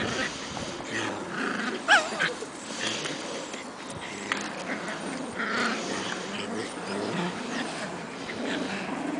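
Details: Shetland Sheepdog puppies, 7.5 weeks old, Croft's I Want It All and Indiana z Puli Szczęścia, romping in spring play; one short, sharp, pitched yip stands out amid soft rustling and low scuffling noise.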